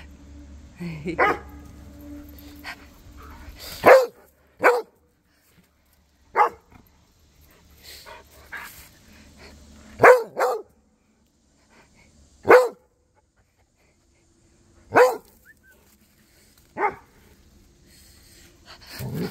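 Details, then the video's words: Back-and-forth barking between Cody the Rhodesian Ridgeback, Duchess and neighbour dogs. Loud single barks, sometimes paired, come roughly every two to three seconds, with quiet gaps and a few fainter barks between them. "Cody The Rhodesian Ridgeback Was Chatting With Duchess & The Neighbor Doggies!"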